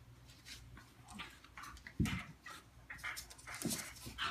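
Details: Morkie and Schnauzer play-fighting and wrestling indoors, one dog making a funny noise: short rough growly bursts and panting-like huffs, with scuffling between them.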